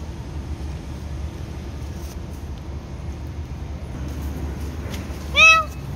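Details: Cat giving a single clear, loud meow near the end, arched and slightly falling in pitch with strong harmonics, over a steady low rumble of traffic and outdoor urban noise.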